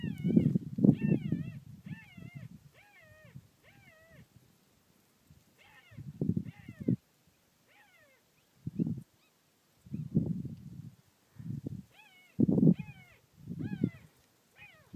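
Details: At least two of Thelma's puppies, left on a property and hidden in a hole under a car, cry with high, wavering whines in short bursts, recorded July 19, 2013; a woman speaks softly between cries.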